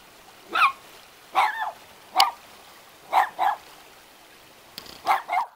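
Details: Two small dogs on sentry duty at a house in the hills around Jeonju, Korea, bark repeatedly: single and doubled yaps roughly every second, with light ticking and trickling noises behind.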